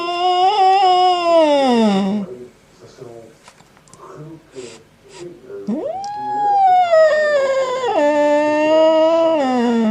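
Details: Cat making a strange sound indoors: a long, falling howl, then quiet moments with faint soft noises, then a second rising, drawn-out yowl that wavers and sinks lower at its close.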